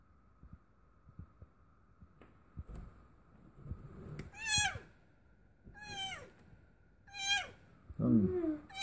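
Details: Domestic cat giving birth for the first time, indoors: three high, falling mews with bright overtones about a second apart, then a lower, rougher cry near the end, over a steady electrical hum and soft background noise.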